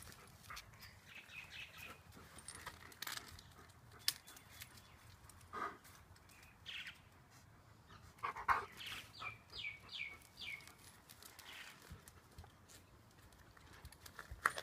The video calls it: Delta the singing husky - I wanna play with Honey ;;;